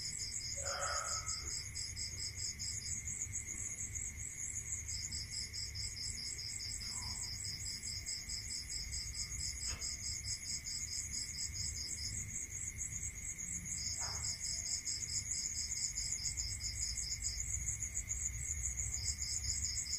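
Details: Crickets heard at night in a rural setting, bursts of fast high pulses starting and stopping every few seconds over a continuous whine, with scattered clicks and a short faint call early on.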